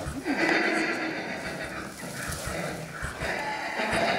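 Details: Newborn Friesian colt, out of Lily by Valiant, in a barn on a frigid winter day at 3 degrees, standing and nursing soon after birth; a sustained, harmonic whinny-like call carries on for about four seconds, with faint barn noises.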